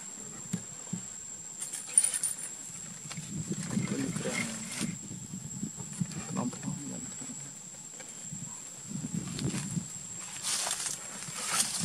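Asian honey bees raise a deep, rough buzzing that swells in loud waves and fades again, an alarm warning of danger before they sting. A thin, steady high whine runs beneath it.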